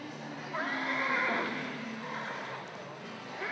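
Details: Quarter Horse stud stallion kept for breeding and cutting, giving a long whinny that rises then wavers downward over about two seconds, with a person speaking and hoof sounds nearby.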